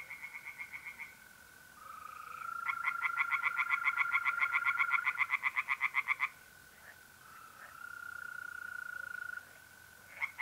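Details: Tree frogs singing in a pond on an April night in north-east Italy: a burst of rapid, evenly pulsed croaks lasting about three and a half seconds, framed by the steady high trill of mole crickets before and after.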